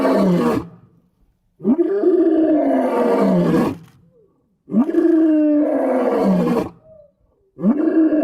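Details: Lion roaring in the wild: loud, deep guttural roars lasting about a second each, with strong harmonic bands bending down in pitch, three bursts separated by short silent gaps.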